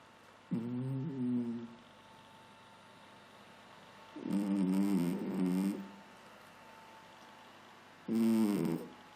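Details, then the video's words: A sleeping pet cat snoring softly. Three low, drawn-out voiced rasps of about one to one and a half seconds each come roughly every four seconds, with quiet room hiss between them. "Кошка спит и храпит"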